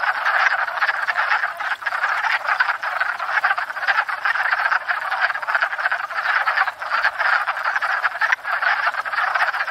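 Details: Massed wood frogs calling at a pond each spring after thawing out, raising a racket while courting; dense chuckling croaks pulse continuously, with slight dips in intensity.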